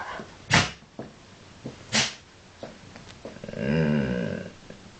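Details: Pet dog named Woods indoors, trying to talk and sneezing while asking for food: two sharp sneeze bursts early, then a drawn-out moaning, harmonic vocal grumble near the end, with soft thumps in a small room.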